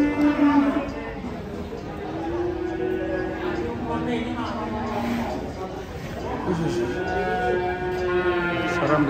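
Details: Cattle frightened while unloading from a truck on a Saturday moo repeatedly, drawn-out tonal bellows rising and falling, one after another, over crowd chatter and general commotion.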